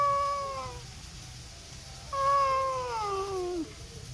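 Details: A cat meows twice: first a level, drawn-out tone that fades, then after a short pause a longer meow that wavers and drops in pitch at the end, over steady low background hum.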